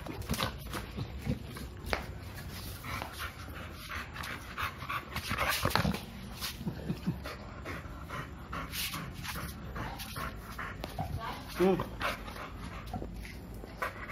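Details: Playful panting from Milo, a two-year-old male American Bully who wants to play; fast breathy bursts with irregular spacing, a short whimper near the end, indoors.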